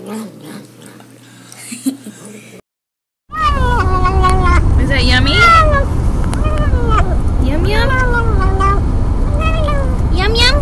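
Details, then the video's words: Cat or kitten making repeated rising and falling yowling meows while eating, several each second over a loud low rumbling background, with people's voices and a short silent break before it. "面白い猫と子猫を食べながら鳴きながらYUM YUM YUMを言って"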